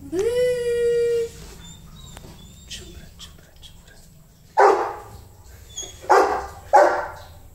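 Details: Rottweiler puppy giving a long, steady whine, then three loud, harsh barks spaced about a second apart, with faint clicks and knocks between them.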